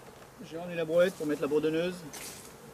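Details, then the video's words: Honey bee from a drone-laying hive, its frames shaken out about fifty metres from the apiary: a close buzz with a clear low tone and stacked overtones, wavering for about a second and a half before fading. "Ruche bourdonneuse"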